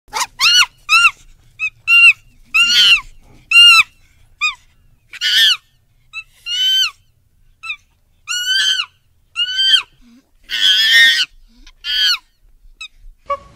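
A monkey gives a series of shrill, squeaky calls, some arching up and down, others harsh and screechy.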